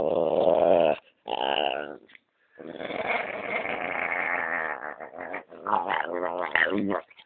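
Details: Dog growling and grumbling as its belly is rubbed: several rough, harmonic-rich growls broken by short pauses, some rising into whiny yelps near the end.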